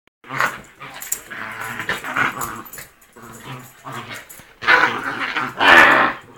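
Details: Rat Terrier playing rough and making primal noises indoors; rough, harmonic growls rise and fall in uneven bursts, swelling into louder snarling rumbles toward the end, with brief pauses between.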